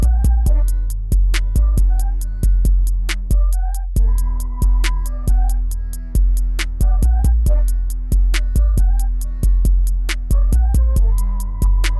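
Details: A driving electronic track plays throughout, with punchy kick drums, deep bass and bright synthesizer melodies. No dog or other animal voice can be picked out.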